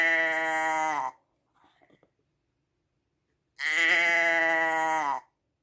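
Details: Sheep bleating: the tail of one long, wavering baa, a pause with faint rustles, then another sustained nasal bleat lasting over a second and a half.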